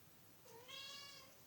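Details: Sausage, a female pet cat, gives a single quiet meow. It is drawn out and rises slightly, heard over a soft hiss of room noise.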